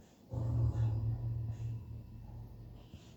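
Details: Napping female Bullpei named Button gives one long, deep, rumbling snore lasting over a second, a low steady drone that fades into quieter breathing, with a small snort near the end.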